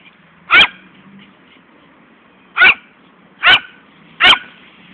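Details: Fani, a pet poodle that loves chasing a ball, gives four sharp, loud barks, one near the start and then three closer together toward the end, over a quiet background.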